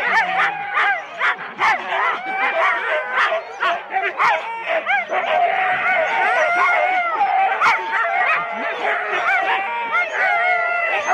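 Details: Four-dog Husky sled teams waiting at the start at Rendlesham in January 2016, taped on analogue cassette; overlapping excited yips, barks and wavering whines blend into a continuous clamour from many dogs.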